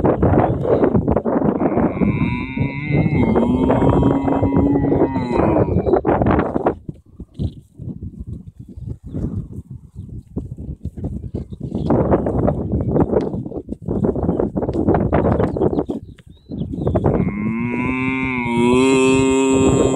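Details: Cattle on an Irish field: two drawn-out, steady moos, one near the start and one at the end, separated by a stretch of broadband rustling and wind-like noise.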